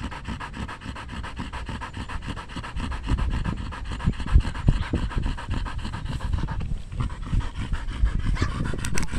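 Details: Danny, a Belgian Malinois in the Philippines, pants during a game of fetch: fast, even, breathy bursts running continuously for nine seconds, growing slightly louder midway, with faint background music.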